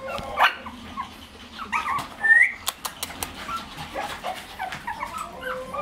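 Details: Shih Tzu puppies about two months old with their mother at milk time indoors: short high whimpers and squeaky yips, one rising whine, scattered clicks and thumps, soft background hum.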